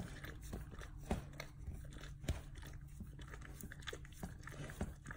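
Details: Dog enthusiastically chewing and licking its rear: rapid wet clicks with louder crunching bites roughly once a second, over a constant low drone.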